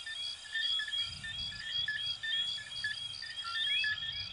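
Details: Coquí frogs of Venezuela and Puerto Rico in full chorus, quick overlapping chirps and a couple of rising whistles over a shrill insect band, with soft low-pitched background noise throughout.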